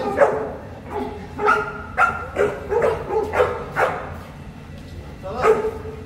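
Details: Boerboel, South African Mastiff, one of a pair kept in Egypt, giving a series of deep, loud barks, about seven separate woofs spaced roughly half a second to a second apart, with quiet background between them.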